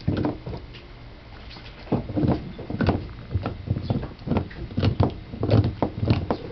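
A Basset Hound chewing gum: soft, wet, irregular thumps and smacks in a small room.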